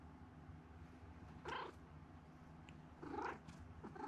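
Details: Pet domestic cat at home, purring in a continuous low rumble while giving two short, soft meows a couple of seconds apart, with a brief third sound near the end.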